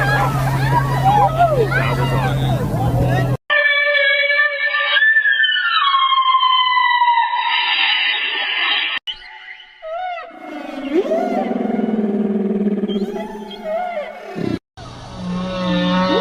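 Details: Whales in the ocean give long, sliding tonal moans and whistles that rise and fall, some high, others deep.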